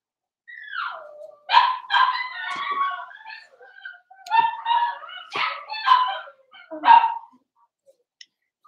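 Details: Blenheim Cavalier King Charles Spaniel puppies from a litter of five born at New Year in a home puppy pen, giving a string of high, harmonic yips and whining barks in bursts over about seven seconds, then falling quiet.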